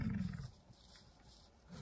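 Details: American bison bellowing during the rut in Yellowstone, a male corralling a female; a brief deep rumbling roar in the first half-second, then quiet outdoor ambience.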